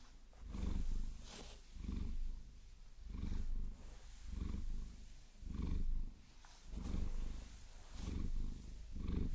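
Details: Maine Coon being caressed and massaged with long nails, its soft, deep purr rising and falling in slow cycles roughly every second, with light scratching sounds in between.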